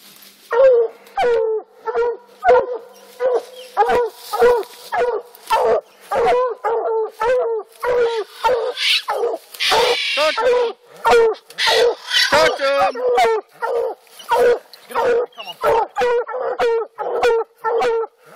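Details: Coonhounds, black and blue dogs, barking while treeing on an Alabama coon hunt; rapid, steady barks and bawls repeated about every half second, with a louder rough stretch of overlapping voices midway.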